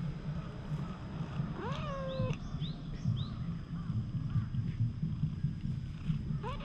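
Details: Wary brown tabby stray cat being petted; one rising then level meow lasting about half a second, followed by a few faint short chirps and a final brief rising mew, over a steady low rumble.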